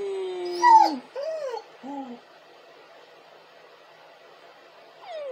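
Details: Crying dog giving a sustained tonal whine that breaks upward into a sharp yelp, then two short falling whimpers, a pause of near silence, and a final descending whine.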